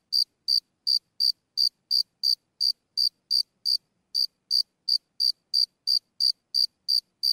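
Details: A single cricket recorded close up, chirping sporadically: short bright high-pitched pulses repeated roughly three times a second, with one brief pause midway; no other sounds.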